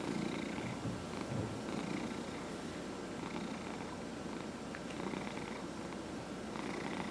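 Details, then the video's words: Purring of a 14-and-a-half-year-old domestic cat during a head massage at home; continuous low vibrating rumble, unbroken throughout, with soft intermittent rubbing noises from the massaging hand. "Dillard the Cat Purrs During Head Massage"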